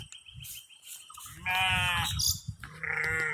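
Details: Sheep taken into the woods to eat jackfruit leaves. After scattered rustling and background noise, one strong harmonic bleat lasts about half a second. A second, fainter bleat follows near the end.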